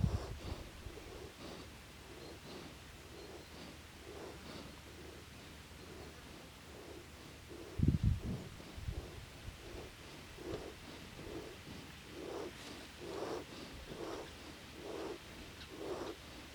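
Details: Foal sleeping and snoring at Kotra ranch on 15 September 2019; low rasping breaths repeat about once a second, with a louder snort-like thump near the middle and faint rustling in the background.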